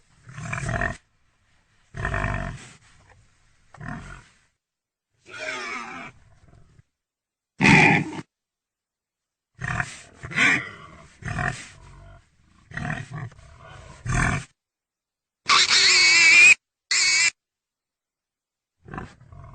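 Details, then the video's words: Pig grunting in many short, abrupt, rough bursts spaced irregularly, with one brief high, shrill squeal near the end. "real pigy sound effect"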